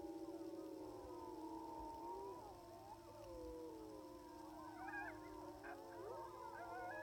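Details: Chorus of sixteen timber wolves on a distant hill in Wrangell-St Elias National Park, southeastern Alaska, in September 2018, recorded by phone through a spotting scope at about 700 yards. Long, sustained howls layer together, then higher yipping, sliding cries break out near the end.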